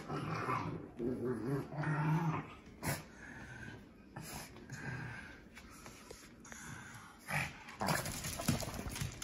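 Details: Shih Tzu/Pekingese dog Winston, indoors, growling while bathed, which he hates: low rumbling growls in the first two seconds, then scattered short grumbles among splashing, rubbing and handling noises in a small room.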